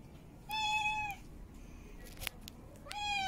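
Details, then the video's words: Female cat in heat calling to mate: two long, even meows with strong harmonic stacks, each held about half a second, separated by a quiet gap with a brief click. "Female Cat In Heat Meowing Mate Calling"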